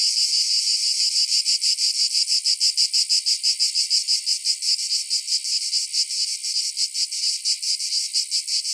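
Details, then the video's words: Cicada song: a loud, high, continuous buzz broken into fast, regular pulses, with the beating growing more distinct toward the end. "Cicada Sounds - Cicada Sound Effect"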